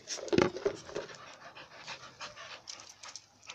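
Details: American Bully panting, one of a kennel of ABKC-registered bullies and pups. Quick, breathy rasps repeat about three to four times a second, with a short tonal whine-like note early on and a man talking nearby.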